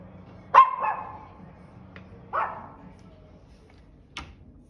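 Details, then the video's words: Dog giving two loud, sharp barks about two seconds apart, the first with a short trailing whine, the second slightly hoarser, then a brief click near the end in an otherwise quiet indoor setting. "barking dog"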